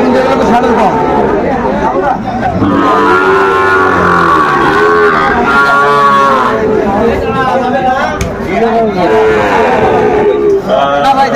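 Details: At a Cumilla cattle market in Bangladesh, Sahiwal bull calves give several overlapping moos, some rising and falling, amid loud crowd talk and bargaining voices.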